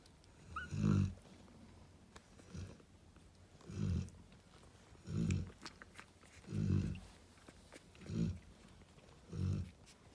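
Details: Cane Corso mother Narla resting with her babies gives slow, throaty snores, six low rasping pulses about every one and a half seconds, with a faint brief squeak near the start.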